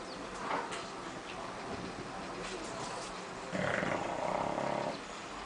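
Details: A bulldog asleep and snoring, faint rough breaths at first, then a louder buzzing, rattling snore lasting about a second and a half near the end.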